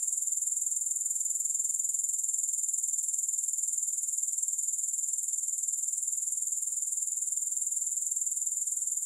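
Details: Unbroken grasshopper stridulation, sharp and very high, a dense metallic trill pulsing steadily at about four beats per second throughout, with no music or other sounds.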